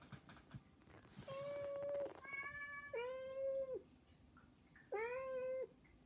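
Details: Pet cats Saba, Hana and Mizore beg for attention with three long flat meows, each held steady and dropping at the end, with a brief rattling clatter under the first one.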